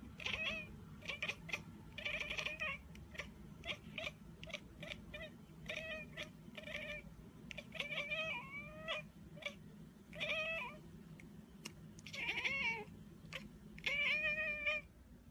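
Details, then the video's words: Cat giving a rapid series of short, high, thin mews, many with a quick upward or wavering bend, repeated roughly every half second over steady low background noise. "MEOWING Compilation"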